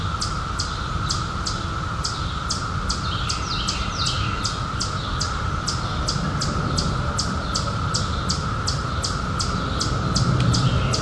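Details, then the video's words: Steady droning buzz of cicadas from the 2021 emergence after a 17-year hiding, on a summer night, constant in pitch, with rapid high ticking chirps about four per second and a low rumbling noise bed. "CICADAS 🌿 Sounds"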